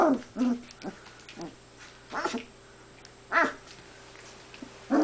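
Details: A big pale male puppy playing with other puppies gives short, sharp yips and barks in scattered bursts, some strained and rough, with brief pauses of quiet between outbursts.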